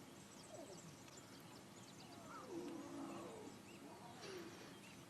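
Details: Lions at a buffalo kill at sunrise growl and snarl in rough, uneven bursts that rise and fall over a few seconds as two older cubs fight over the buffalo tail and adults intervene, against a quiet outdoor background.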